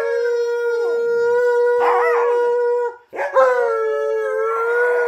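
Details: Domestic dogs singing along as their owner sings "You Are My Sunshine"; one long steady howl held for three seconds, a brief break, then a second howl that dips and levels off, with a quieter singing voice beneath.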